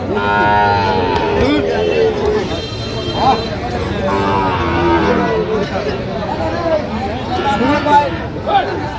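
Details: Sahiwal bull calves, sold in pairs at a crowded cattle market, with a Cumilla farmer buying on 2 January. A drawn-out, tonal moo opens, and a second lowing follows around three seconds, over steady crowd chatter and men bargaining nearby.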